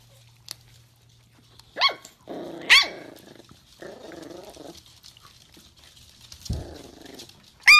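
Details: Miniature Dachshund, a small dog from a breeder's home, giving a few sharp high yelps and barks between stretches of low growling, with long quiet gaps; a final bright bark closes the recording.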